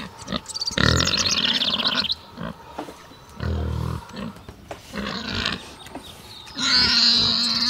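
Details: Pig in a forest setting giving loud, harsh, harmonic squealing bursts, each about a second long, separated by quieter gaps with scattered grunts; a fast chirping bird-like trill is heard faintly in the background.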